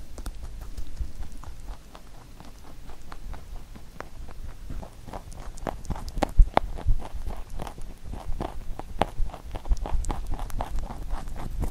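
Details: Pet rabbit eating a carrot songpyeon, a holiday treat shaped from carrot for Chuseok; rapid crisp crunching clicks about two per second, quieter near two seconds and growing louder and denser toward the end.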